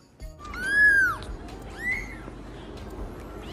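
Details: Cat meowing: two arched, tonal meows that rise then fall in pitch, the first long and drawn out, the second shorter after a brief pause, over a low steady background hum.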